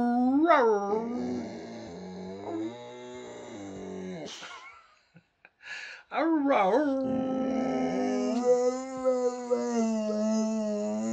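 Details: Boxer dog howling while talking with its owner: a yodelling rise-and-fall howl that drifts downward and fades, a brief quiet spell with scattered noises, then a strong wavering howl settling into a long even tone.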